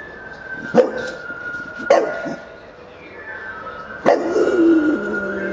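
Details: Homer the bulldog works on his howling technique. Three sharp yips, spaced unevenly, end in a short falling howl, while a steady high whine and background hum continue throughout.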